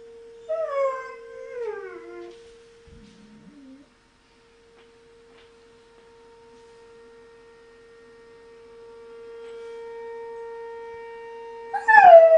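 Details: German Shepherd Knuckles responding to a monthly siren test; a short falling howl opens, followed by a low whimper, a long stretch of steady siren tone, then a sharp rising howl at the end.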